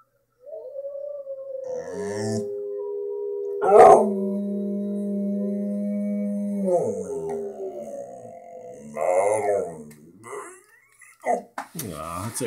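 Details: A one-year-old English Staffordshire Bull Terrier howls with wolves: long, sustained howls hold level tones, then waver and break off, several voices overlapping. Near the end a man speaks briefly to the dog.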